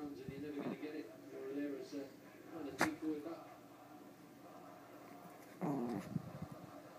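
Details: Two fluffy female Pomeranians, a small one and an adult, tussle over a toy indoors as the bigger dog gives playful growls: short wavering, grumbling bursts at the start and near the end, with a sharp knock midway in a small room.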